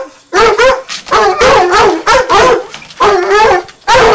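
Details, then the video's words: Two young Redbone Coonhounds, nine months old, treeing; loud repeated baying bursts with a rising-falling yodel quality, overlapping voices sounding several times a second in rapid succession. "Redbone Coonhound treeing"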